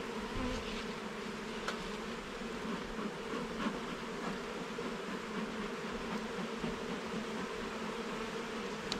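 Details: Inside a garden hive under inspection, a mass of honey bees drones steadily, a thick unbroken hum with a few brief clicks scattered through it.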